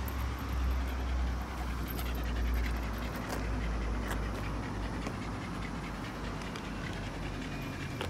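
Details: Female Shiba Inu, excited and chasing ball-like round objects she loves, panting in rapid, steady, breathy puffs about three per second, with low rumbling background noise throughout.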